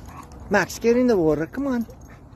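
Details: A happy German Shepherd greeting friends at a playground: three arching, harmonic whines in under two seconds, the first short and sharp, the second longer and wavering, the last a brief falling tone, over a quiet outdoor background.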